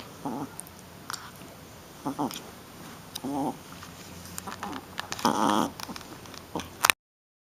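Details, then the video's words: Young female Shih Tzu puppy roughhousing, letting out brief nasal growl-grunts at intervals, a longer noisy snarl near the end, amid scratching and chewing sounds indoors. "Baby Shi-Tzu Playing and Making Cute Sounds"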